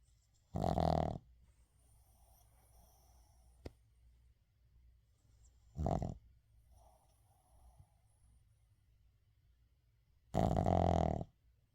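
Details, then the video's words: Shih Tzu called 의중 asleep and snoring, recorded without editing: three harsh rattling snores spaced several seconds apart, fainter wheezy breaths in between, one sharp click, otherwise a quiet indoor room. "시츄 코골이"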